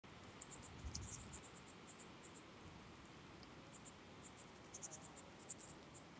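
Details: Calliptamus siciliae grasshopper recorded at Arzo, Switzerland, on 6 August 2023. Two groups of very high, short, dry ticks repeat rapidly, about a dozen per group, separated by a brief pause, over a faint low background hiss.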